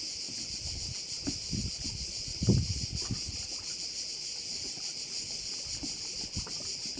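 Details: Crickets by a Korčula bay keep up a steady high buzzing drone with fast pulsing, partly covered by low rumbling wind-like noise and a louder low thud midway.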